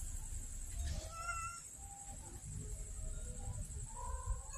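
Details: Hungry street kittens in Banyuwangi, Indonesia, angry at a late lunchtime feeding, give a string of plaintive meows that rise and fall, some short, some drawn out and wavering, over low rumbling background noise and a steady high ringing tone.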